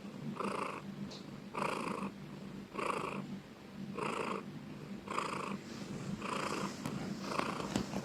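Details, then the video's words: Domestic cat purring loudly, a steady rhythmic rumble pulsing about once every 1.2 seconds, each breath-cycle swelling and fading evenly, with a faint low hum underneath indoors. "Cat purring loudly ||Suara kucing mendengkur"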